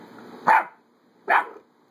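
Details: Adoptable puppy at play letting out two short, sharp yips less than a second apart against a quiet background.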